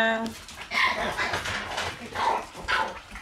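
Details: Shiba Inu puppies in a kennel room, recorded August 28, keep up a steady stream of shrill, wavering whines and short yaps that overlap and shift in pitch, with little pause between calls.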